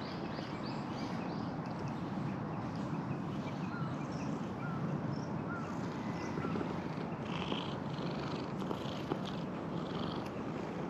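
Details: A bear-like black cat lounging on a table with its big belly sprawled out purrs in a steady, low, rumbling drone that runs unbroken throughout, over a soft background hiss.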